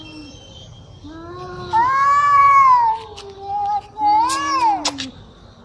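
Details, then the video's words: Cats in anger growling at each other, a low moan swelling into a loud, drawn-out wail that sags and then lifts again, ending in a short rising cry. "Angry Cat sounds || Cats in anger growling at each other - Really Scary sounds"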